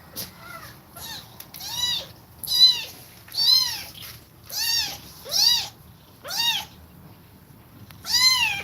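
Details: Domestic cat household: a mother cat breathing fast while nursing her kittens. A series of eight high, thin, arched mews, each rising then falling, spaced about one second apart with short quiet gaps between them.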